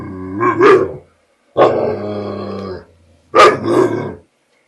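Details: Frightened American Bulldog trying to reclaim his bottle from a border collie, producing three drawn-out groaning growls, the middle one steady and level, the outer ones rising into brief yelping peaks.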